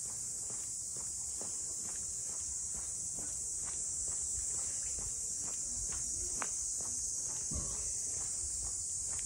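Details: Cicadas in the harbour townscape of Ine, north of Kyoto, keep up a constant sizzling high drone over the thud of footsteps, with a few louder knocks and scuffs along the way.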